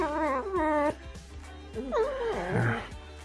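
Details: A pet red fox on a sunny spring day gives two whiny, harmonic calls, then a quavering, wavering run of grunting vocal sounds over soft music.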